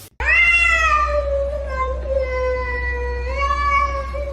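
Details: A pet cat lets out one long, sustained meow lasting about four seconds, steady in pitch with a slight rise near the end, against a faint low hum indoors.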